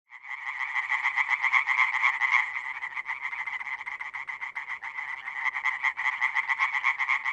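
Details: European tree frogs (Hyla arborea) calling in the wild in a dense chorus of fast, loud, rattling pulses, with many more frogs in the background.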